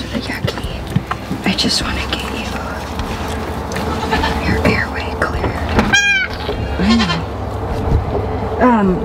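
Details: Female Nigerian Dwarf goat named Lolli in labour on a dairy goat farm, giving birth unassisted to twin doelings. Short, quavering bleats arrive in the second half, mixed with a woman's running commentary and barn rustling.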